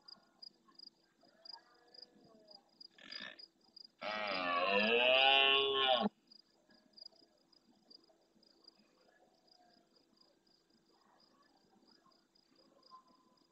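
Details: Rutting red deer stag close to the camera in the Doñana National Park marsh, Andalusia, Spain, bellowing at the start of the night in reply to other males. A short burst comes first, then a loud, rough two-second roar, over steady high pulsing ticks.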